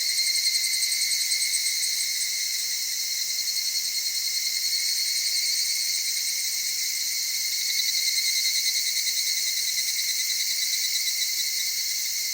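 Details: Evening cicadas in cedar forest of the Okutama area, Tokyo, Japan, with mountain streams and highlands, singing at dawn or dusk: a dense, steady high shimmering chorus with bright ringing tones, brief pulsing near the start.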